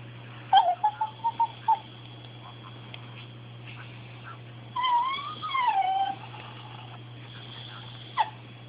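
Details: Small yips from Bailey, a pet dog who wants something: five quick high yips in a row, a pause, then one long whine that rises and falls, and a final short yip; low steady hum.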